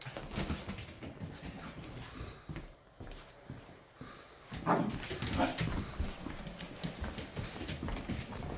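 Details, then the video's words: Nearly four-month-old Giant Schnauzer puppy playing keep-away: a couple of short, rough barks near the middle amid scuffling, thumps and movement noise, with a person talking to the dog. "Baby Giant Schnauzer playing "Keep Away""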